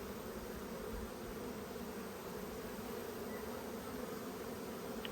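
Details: Honey bees in a strong colony during an Australian hive inspection on 5 February 2022, in a dearth with little food. A steady, even low hum of many bees fills the clip with no break.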